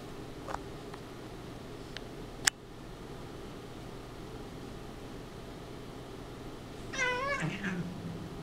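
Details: Domestic cat play-fighting indoors with another cat; mostly quiet room hum with a few clicks, then near the end a wavering, rising-and-falling yowl lasting under a second, followed by a low grunt.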